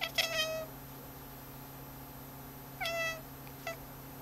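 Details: Domestic cat indoors watching a cursor move on a screen, giving a clear harmonic meow at the start, a second shorter meow after a pause near three seconds, and a faint brief chirp; steady electrical hum underneath.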